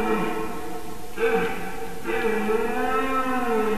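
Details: A red deer stag at the start of the mating season bellows in long, hoarse, deeply layered roars, three drawn-out pulls in under four seconds, over a steady low rumble; recorded about 4:50 am, 7 September 2018, in Latvia.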